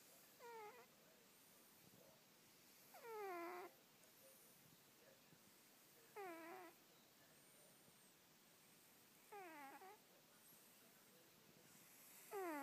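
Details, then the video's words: Domestic cat sleeping and dreaming while snoring indoors: short whistly squeaks that slide downward, one with each breath, roughly every three seconds, in a quiet room. "the snoring cat"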